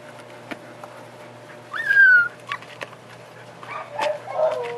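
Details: A Siberian Husky puppy about four and a half weeks old, being sat on by its brother, gives a thin, high whine that slides downward, then softer whimpers over a steady background hum.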